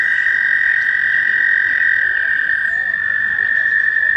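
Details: American toads calling in mating season at a shallow pond near Warbler Bridge, Wehr Nature Center, on a warm May day: an unbroken, steady high trill from many toads, with faint chirps and whistles above it.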